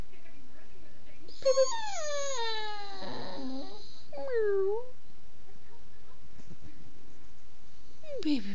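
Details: Bella, a pet dog, vocalizes while her owner talks to her indoors: a long harmonic whine sliding downward over about two seconds, then a shorter falling whimper, with a last brief descending cry near the end.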